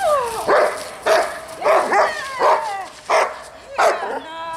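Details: Dog barking as a distraction during a young dog's first distraction-training session at a dog school: six loud, harsh barks about every 0.7 seconds, with whiny tonal rising-falling calls between them.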